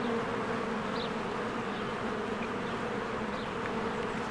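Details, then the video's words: Short stretch of a spring beehive with bees working and flying around their hive: an unbroken, even buzz in low and middle pitches, plus a couple of faint, thin bird chirps. "1 Hour of a Beehive ASMR"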